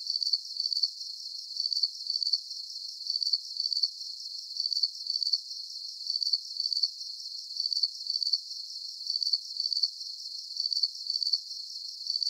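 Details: Continuous cricket chorus of bright, pulsed chirps, each short burst repeating at a very regular rhythm of about two per second over a soft high hiss.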